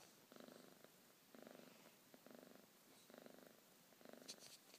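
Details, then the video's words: Morning purring from a house cat rousing its owner: a low buzzing purr in five even bursts, each lasting about half a second, with a brief rustle near the end. "Purring alarm clock"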